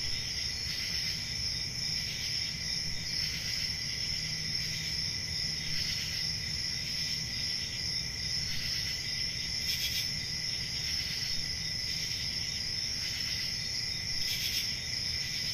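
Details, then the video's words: Crickets on a peaceful country summer night, a steady shrill high trill ringing without pause, with a fainter lower buzzing layer, brief hissy bursts every few seconds and a soft low rumble underneath. "Relaxing Cricket Sounds For Sleeping | Ambient Summer Night Sounds"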